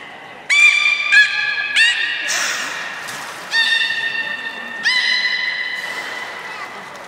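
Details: Captive beluga at Port of Nagoya Aquarium, playing after a feeding session in January 2019: loud, steady, tonal whistles rich in overtones, several starting with sharp upward chirps, sounding in quick succession with brief pauses between them.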